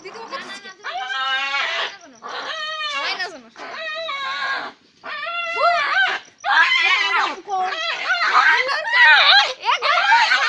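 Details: Puppies fighting indoors give loud, high, harmonic yelps and squeals in bursts of one to two seconds, separated by short pauses, some notes wavering and bending downward.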